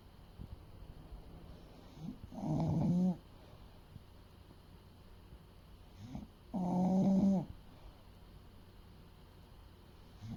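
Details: Fuku, an eight-year-old male English Bulldog of about 30 kg, asleep and snoring: two long, rasping, harmonic snores roughly four seconds apart, each lasting under a second, over a low steady indoor hum.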